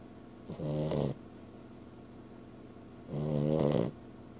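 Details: Snoring from a sleeping female house dog: two drawn-out, vibrating nasal snores about two and a half seconds apart, inside a quiet room.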